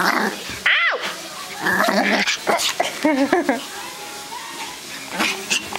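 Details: Excited Pomeranian puppy going crazy, giving a high rising-and-falling whine, then wavering squeaky yelps and scattered yips, with people talking in the background.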